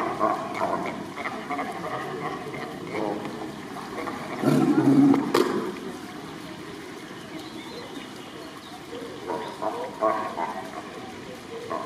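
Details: Sea lions trade hoarse, barking calls in an exchange, with one louder, deeper bellow partway through, recorded 2 May 2023.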